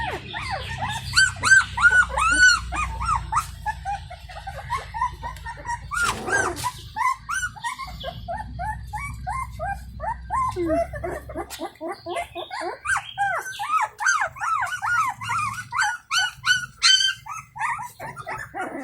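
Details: Stray Indian Pariah Dog mother checks on her puppies at feeding time; one puppy runs out crying for her attention. Many quick arched whimpers and yips pour out several per second, with a sharp thump midway and a low rumble.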